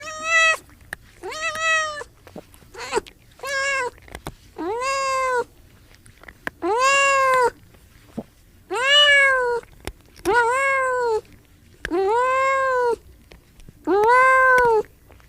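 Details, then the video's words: Cat meowing again and again, about eleven drawn-out, arched meows with rich harmonics, some short and clipped, others long and rising then falling, spaced irregularly a second or two apart in a quiet setting. "cat sound"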